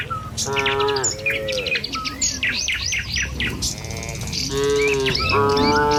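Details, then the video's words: Tame cattle herded along a village road in the morning on their way to fields. Several drawn-out, deep harmonic moos overlap one another, and busy high bird chirps and tweets fill the background throughout. "Suara Sapi Moou Sepanjang Jalan Desa"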